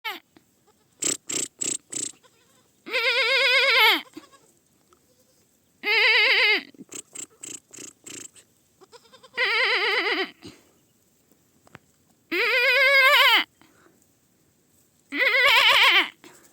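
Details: Baby goat giving five long, quavering, wavering bleats spaced about three seconds apart, each lasting roughly a second, with a few short dry clicks and taps between the early calls.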